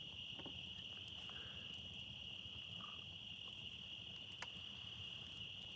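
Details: Crickets and other insects droning at night beside a campfire, outdoors in the countryside: a steady, unbroken high-pitched trill holds throughout, with faint soft ticks and crackles underneath.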